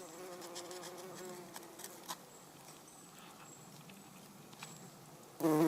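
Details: A Garden Bumblebee (Bombus hortorum) on Everlasting Sweet pea flowers (Lathyrus latifolius) gives a low, droning buzz, strongest at first, then fading as it moves away.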